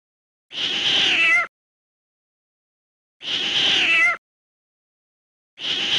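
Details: Kitten on a farm with friendly farm animals: three harsh, breathy meows spaced about two seconds apart, each a noisy burst ending in a short falling tone, with silence in between.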